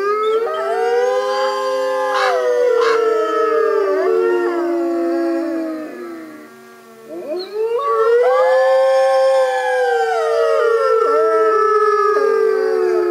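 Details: A captive North American gray wolf pack at a wolf center howls together, long sliding tones overlapping in a wavering chorus.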